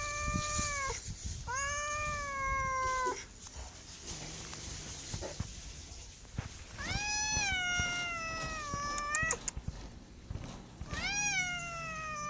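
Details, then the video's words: A pet cat repeating its meow four times, some rising then falling, some trailing downward, with pauses between calls and scattered clicks and taps in the room. "MEOWING MEOWING - CAT CUTES - CAT FUNNY - SOUND CAT - MEOW CAT 01"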